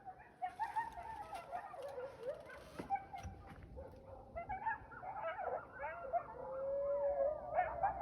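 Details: A group of coyotes at a lake on the evening of January 26, 2025 gives wavering howls and rapid yips. One long, steady drawn-out note rises near the end, with faint clicks and rustles behind.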